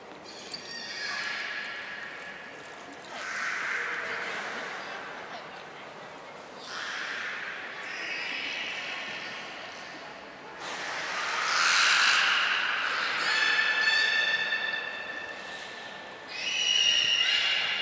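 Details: Belugas Hodoi, Taanya and Mirai during training at Port of Nagoya Public Aquarium on 1 November 2020: long nasal, whinnying whistles and buzzy squeals with rising and falling harmonic bands, a few seconds each, over background crowd noise.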